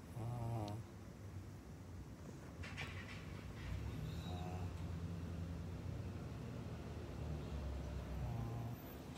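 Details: Maria, a senior pug in Japan, filmed on 16 May 2021: a short wavering whine-like grunt with stacked harmonics opens, then low snorting and snuffling breaths run steadily beneath, ending with another brief wavering vocal grunt.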